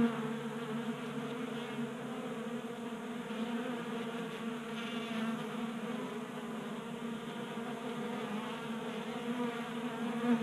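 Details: A crowd of honey bees at a tabletop 3D-printed feeder in a Colorado garage in January; an unbroken buzzing drone, even in loudness, with a slight rise in hum midway as more wings join.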